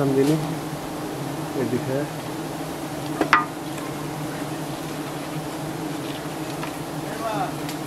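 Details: In Thailand, honey hunters harvest a giant honey bee nest high up. The bees keep up a continuous deep buzzing drone, broken by brief human voices and a sharp knock partway through.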